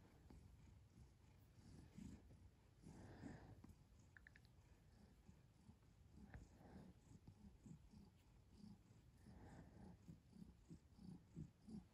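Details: Domestic cat purring softly, a low, continuous rumble pulsing in a steady breathing rhythm, quiet throughout with faint room sounds.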